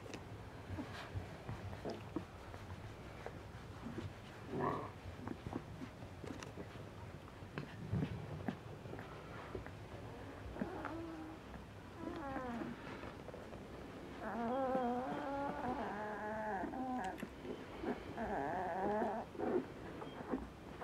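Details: Ten-day-old Asian Bear Dog puppies, an F1 hybrid of Tibetan Mastiff and American Akita, in a litter of two males and three females; soft scattered squeaks and rustling, then wavering, quavering whines overlapping from the middle onward, indoors.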